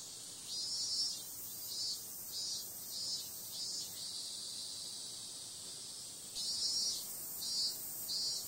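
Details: Cicadas calling after dark in summer: a piercing, sizzling buzz with pulsed swells about every half to one second, easing into a steady drone midway before the throbbing resumes.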